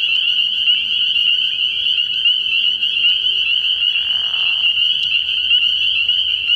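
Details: Nighttime frog pond in early spring, packed with spring peepers whose high shrill peeps overlap into an unbroken ringing chorus; a short soft burst of lower sound appears near the middle.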